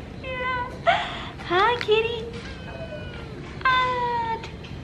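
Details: Small street cat in Korea, greeted by passers-by while a mother cat rests nearby, gives several short rising-falling meows that sound clear and tonal. Women's voices and laughter mix with the calls.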